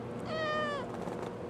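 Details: Halo, a pet kitten, meowing in reply to her owner asking what's wrong: one drawn-out, slightly falling meow of under a second with rich harmonics, over a quiet indoor background.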